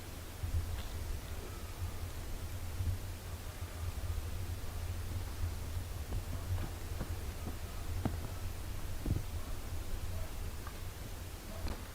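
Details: Low steady hum with scattered faint rustles and soft clicks indoors; no animal calls stand out.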